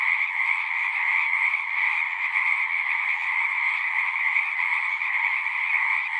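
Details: Chorus of frogs at a horse-pasture pond, captured with a Zoom 6 recorder; countless callers merge into a continuous shrill, pulsing wall of sound that never lets up across the stretch.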